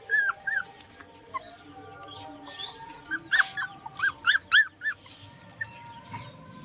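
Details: Puppies eating food together give short, arched, whining yelps, several in quick succession near the middle, over a steady background of clicking and chewing noises.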